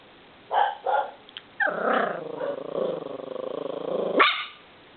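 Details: Cagney, a purebred nine-week-old miniature schnauzer puppy, new to his home, gives two quick sharp barks, then a long drawn-out growling, whining bark lasting over two seconds that ends in a higher yelp; the room is otherwise quiet.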